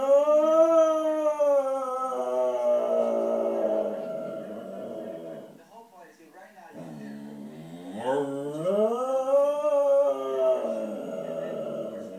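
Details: A Pembroke Welsh Corgi watching a dog programme on television howls in long, tuneful notes that bend upward and fall away, pausing before a fresh rising wail. Faint TV voices murmur underneath.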